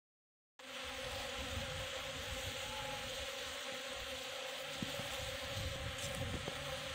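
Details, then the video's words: Jandaíra stingless bees in a burst of heavy colony activity; a dense, steady buzzing hum fills the scene after a brief silent start, with occasional faint clicks and taps. "Super movimentação de Jandaíra"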